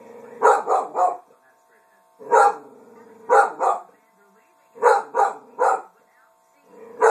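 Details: A female dog barks at her own reflection in a mirror indoors: sharp, harmonic barks come in quick clusters of two or three, separated by pauses of one to two seconds, over a steady low hum.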